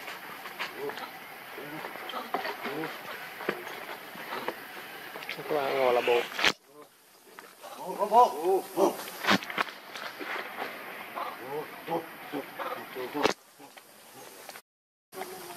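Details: Hungry baby monkey Leo, missing its mother and begging for milk, gives quavering harmonic wails in two clustered bursts, separated by brief silent breaks, with a constant buzzing outdoor background.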